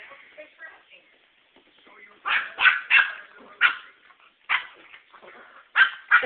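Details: Two dogs at home barking while playing with each other, not fighting; sharp, high yappy barks in irregular bursts, some doubled, after a quieter stretch of soft whines and a woman's voice.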